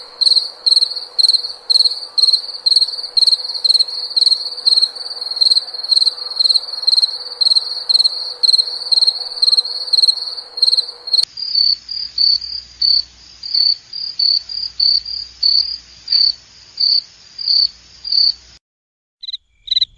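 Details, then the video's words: Cricket song of rapid shrill chirps repeated steadily, then a sudden cut to a second stretch of chirps over low rumble before a brief silence and two last notes. "SOM DE GRILO"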